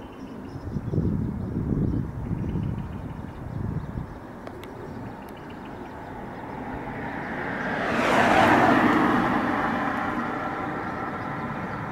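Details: Low engine rumble and a passing vehicle swelling past outdoors, with no animal calls heard.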